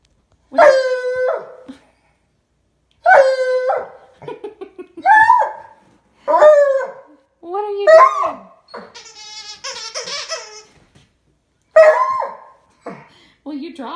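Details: Ivy, a female domestic dog, gives her nightly howling performance around 9:30 pm: short, quavering tonal bursts rising and falling every second or two, with softer whines between.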